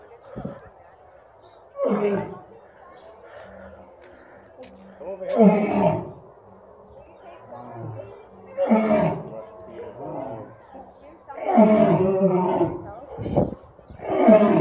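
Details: Two lions roar in a series of deep, heavy bursts a few seconds apart at a zoo, with people talking nearby.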